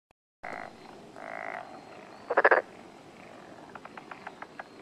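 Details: Black-spotted pond frog calling in a mountain area of Tokuji, Yamaguchi City, Japan, on a June morning: two soft buzzy notes, then a loud rapid burst of pulses, then a trailing series of short clicks.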